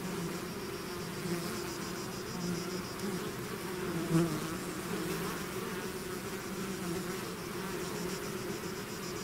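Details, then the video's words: A bee swarm leaving its hive, a full continuous droning hum with one bee passing loudly close by around the middle, then the even buzz resumes. "bees therapy swarm natural buzzing sound"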